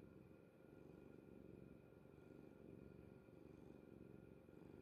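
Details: Pet cat Kuri-chan dozing peacefully on mother's bed; a continuous quiet low-pitched purr rumbles evenly without pause, over a faint constant background hum.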